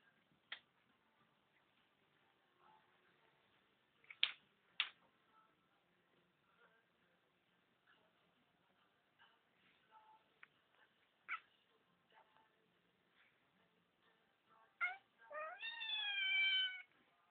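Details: A Devon Rex cat watching birds gives scattered soft clicks, then a rising, drawn-out chirping cry.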